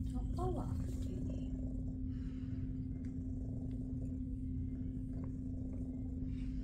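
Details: Female shelter cat, big and fluffy, purring while lying back for belly rubs indoors; a steady, low continuous rumble runs the whole time, with a soft human voice briefly near the start.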